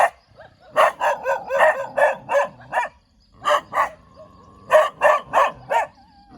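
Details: Cute dog wagging its tail, barking in quick bursts of sharp, loud yaps, about three per second, with a short pause mid-way before another rapid run of barks.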